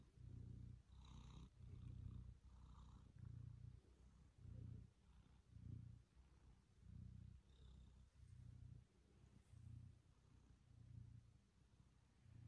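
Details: Maine Coon kitten, five months old and about nine pounds, purring while sitting on a lap, kneading and chewing fingers; low rumbling purr in steady pulses roughly every second, faint clicks above, otherwise quiet indoors.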